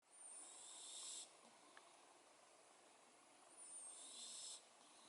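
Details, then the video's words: Cat snoring indoors: two long, hissy, whistling breaths about three and a half seconds apart, with a thin high whistle at the start of each, over quiet background hiss. "Кошка храпит!"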